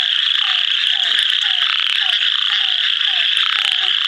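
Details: Near Kadur, India, an ornate narrow-mouthed frog calls: a steady shrill rasping drone, with quick low downslurred notes repeated nearly three times a second.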